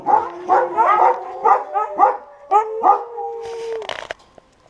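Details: Siberian Huskies in a kennel, a run of rhythmic yipping calls about every half second over a low held howl, ending in a steady howl and a brief noisy burst.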